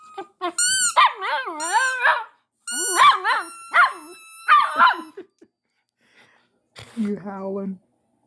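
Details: Siberian husky indoors howling along with sirens: a series of wavering, yodel-like howls rising and falling in pitch, in short bursts over about five seconds. A pause follows, then a lower, shorter vocal sound.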